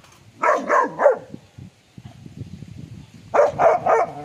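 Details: Rottweiler dog that lost a tooth while playing, giving two quick bursts of three high, yelping barks about three seconds apart, with soft low rumbling in the gap between them.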